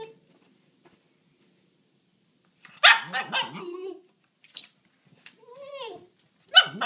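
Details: Dog calling at a bunny beyond a fence: silence at first, then a loud bark sliding into a groaning, bending vocal, a brief yip, a rising-falling whine and a final sharp bark.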